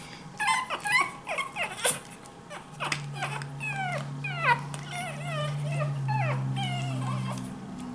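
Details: Several 5-week-old Pekingese puppies give a rapid string of high, squeaky whimpers, each cry sliding downward in pitch, over a low steady hum through the middle. Pekingese.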